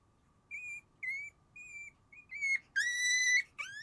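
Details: Three sleepy Shiba Inu puppies, sibling males and a female born January 7, give thin high whines. Steady notes come about twice a second, then longer, rising cries follow near the end over a faint steady hum.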